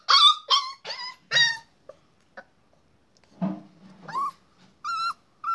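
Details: Puppy barking in a quick series of high, shrill yaps with bright harmonics, four close together at the start, then a low grumble and further squeaky yips and short whines after a pause.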